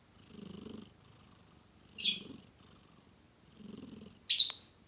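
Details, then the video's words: A domestic cat purring while snoring, soft low rumbling bursts repeating about every one and a half seconds, with two sharp brief high clicks or hisses between them. "Purr Snoring"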